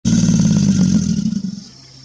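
An American alligator gives a deep, throaty bellow that rumbles for over a second, then fades away.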